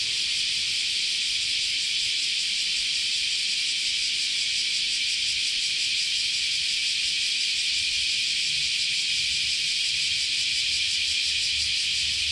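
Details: Unbroken cicada chorus on a Japanese summer day at Chionji Temple, Kyoto, heard as a loud, high, rasping hiss with faint rhythmic pulsing and a low hum in the background.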